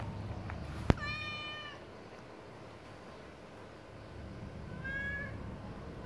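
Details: Domestic cat while its breakfast is being prepared, giving a clear, slightly falling meow after a sharp click, then a second shorter, quieter meow near the end, over low kitchen hum.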